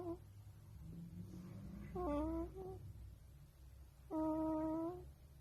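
A wolf pup gives two short, tonal whining calls, the second longer and steadier.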